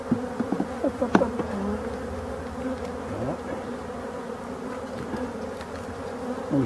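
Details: Hive of European dark bees from abandoned hives being restored, humming in a dense, even drone, with scattered clicks and brief higher buzzes of single bees passing close in the first two seconds.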